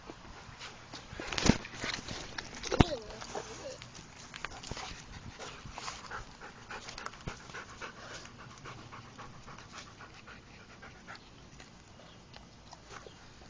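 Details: Rottweilers Rienzi and Romeo with puppies outside; quick breathy panting bursts repeat through most of the stretch, with two sharp knocks early on and a man calling to Romeo nearby.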